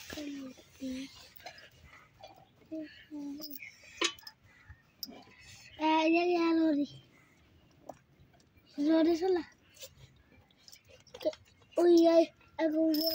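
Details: Buffalo crying: drawn-out, steady moaning calls about a second long, repeated four times with short bursts between, while people talk and household clatter is heard in the background.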